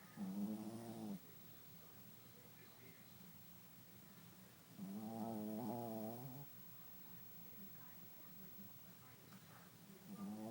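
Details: Sleeping Shih Tzu snoring, with harmonic, slightly rising snores about a second long, returning roughly every five seconds, separated by quiet breathing in a still room.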